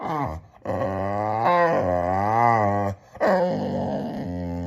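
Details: A male Boxer dog vocalizes in two sustained, throaty grumbling moans that swell and bend in pitch like talking, with a short breathy pause between them.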